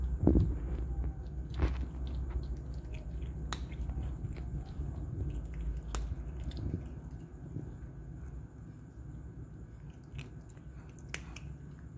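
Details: Indoor eating sounds: soft, irregular biting and chewing close by, low and muffled, with no calls or vocalizations.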